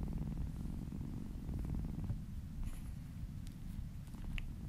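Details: Soft, deep purr of a kitten being massaged, a continuous grainy rumble, slightly quieter later, with brief light clicks and rustling.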